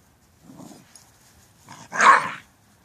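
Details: Mishi, a Shiba Inu puppy, gives two soft, low grumbling sounds followed by one sharp, loud, bright bark near the end, in an otherwise quiet setting.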